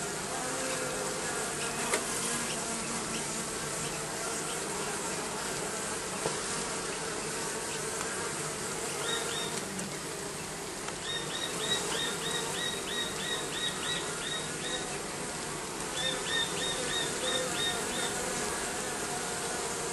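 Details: Steady droning buzz from bees under the roofing fills the background, while a small bird adds short bursts of quick, high repeated chirps partway through and again near the end.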